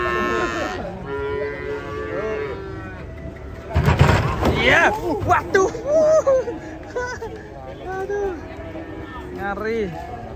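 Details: Frightened, agitated cattle unloaded from a truck on Saturday give a rich bellowing moo at first, followed by a noisy clattering burst and a stretch of shouting people with further lowing in the background.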